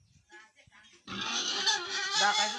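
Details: Piglets aged ten days at a farm in Tripura; after a second of soft scuffling, a loud, piercing squeal breaks out and holds steady, shrill and strained until the end.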